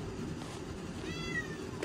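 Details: A talkative male Ragdoll cat indoors gives a single short, downward-sliding meow over a low hum, chattering at his owner after pushing his toy under a door and losing it.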